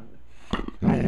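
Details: Puppies begging for popcorn: a brief dog vocal with a few soft pulsed sounds, then a louder, rough, low growl-like burst lasting about a quarter second.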